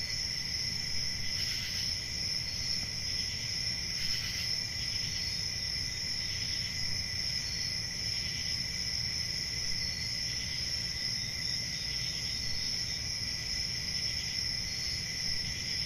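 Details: Crickets on a summer night in a forest: a steady, unbroken high shrill chorus with a fainter second band beneath, a few brief swells, and a low rumbling background noise throughout.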